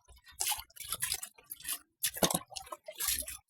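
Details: Short bursts of splashing, dripping and scrubbing during an early-morning bath, with no animal voice.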